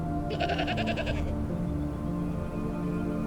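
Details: A mountain goat in the rugged Caucasus mountains of Dagestan gives one quavering, nasal bleat of about a second, pulsing rapidly, over steady orchestral music.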